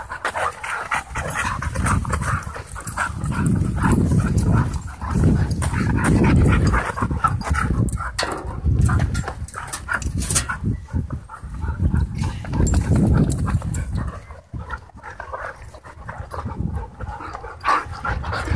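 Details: Romping dogs at a dog park trade low guttural growls in repeated surges every couple of seconds, with panting and scrabbling between the bursts.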